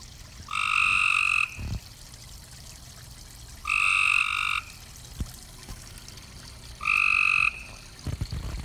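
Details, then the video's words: Nighttime pond frogs giving three evenly spaced, nasal croaks, each nearly a second long with stacked overtones, plus a few soft low thumps and clicks in between. "Pond at Night. Frogs Doing Their Thing."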